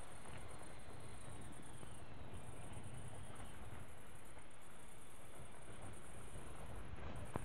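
A thin, high chirring from grasshoppers runs without a break, pulsing rapidly and evenly throughout. Beneath it lies a constant low rumble, like wind or distant traffic.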